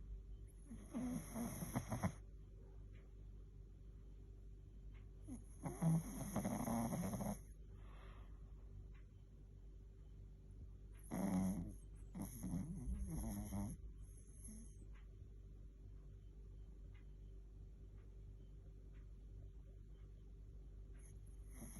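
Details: Sleeping Chihuahua snoring: three raspy, noisy breath bursts at about one, six to seven, and eleven to fourteen seconds, separated by quieter breathing, over a steady low indoor hum.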